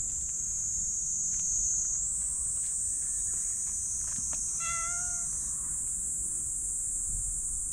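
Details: Patted on the lower back, a black stray cat lets out one smooth, mid-pitched meow lasting about half a second, set against a continuous shrill insect-like hum and faint tapping.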